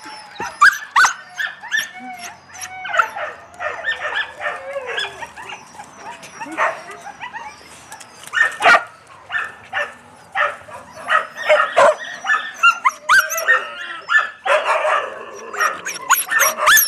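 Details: Yakutian Laika puppies give a busy run of high yips, squeaks and short barks that overlap throughout, with a human voice mixed in.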